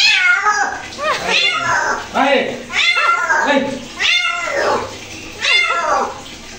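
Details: A house cat being washed lets out about five insistent, wavering meows roughly one second apart, while a person talks quietly in a small room.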